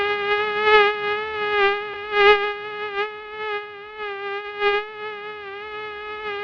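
A mosquito hums with a continuous, nasal, high-pitched whine rich in overtones. The tone barely wavers in pitch but grows louder and softer every second or so as the insect moves about.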